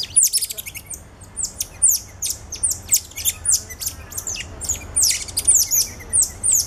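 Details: Cotton-top tamarins at Alma Park Zoo in November 2013, a family group with two ten-day-old babies riding on the father's back; rapid high chirps and descending whistled notes, many overlapping, repeated several times a second against a faint low hum.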